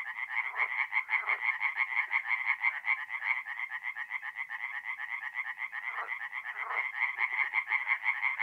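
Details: Several tree frogs sing together at night at a forest pond in north-east Italy in mid-April, quick nasal croaks repeated in a dense rattle, with a few lower croaks now and then.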